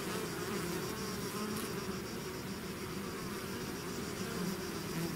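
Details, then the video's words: Bees swarming out of their hive make a continuous thick buzz, layered low tones wavering slightly as individual insects pass closer, with a faint hiss above and no other voices. "bees therapy swarm natural buzzing sound"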